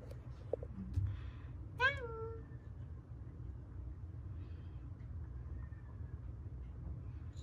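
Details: A rescued stray cat from Haeundae, one of a mother and daughter pair that lived seven years on the street with bones left set crooked after a traffic accident. A single rising-then-falling meow near two seconds, then a faint short one later, over low steady hum.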